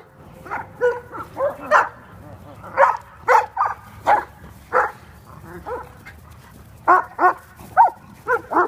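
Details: Kuvasz dogs at play in California; quick clusters of barks and yelps, often two or three in a row, with brief pauses, lively and irregular.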